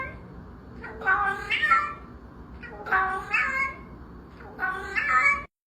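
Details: A domestic cat making weird sounds indoors: three drawn-out, wavering, nasal meowing calls, each about a second long and rising then falling in pitch, spaced roughly two seconds apart over a faint background hum.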